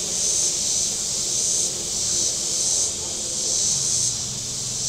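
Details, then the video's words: Cicadas calling from the shore of Table Rock Lake in southern Missouri on a very warm Saturday. A high, hissing buzz swells and fades roughly every second, over a low rumble of boats on the lake. "Boating Lake Sounds and Cicadas"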